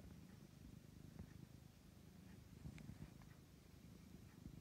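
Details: Pet cat purring as it kneads, a steady deep pulsing rumble sustained throughout, with occasional light clicks and rustling in a quiet indoor room.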